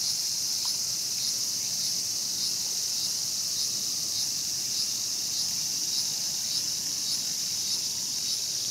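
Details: Mantis preying on a cicada in Tokyo's Showa Kinen Park, 2020. Shrill steady buzz, lightly pulsed roughly every half second, continuing without pause.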